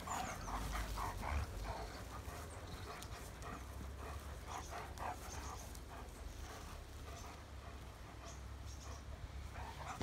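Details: A pack of German Shepherds gives short, sharp yelping barks. The barks repeat rapidly and unevenly through the whole stretch over a steady low rumble.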